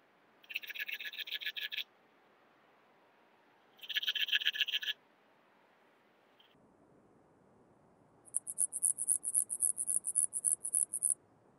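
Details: Antaxius pedestris bush-cricket singing at Huben, Austria, on 8 September 2020: two dense buzzy bursts of rapid pulses, each lasting about one to one and a half seconds, then a higher-pitched run of about a dozen quick ticking pulses over a quiet background.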